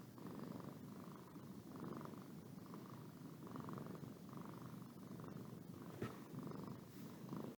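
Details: Pet cat Boo purring and yawning, a dense low vibrating purr with regular breathing cycles roughly every second, plus a faint click near the end.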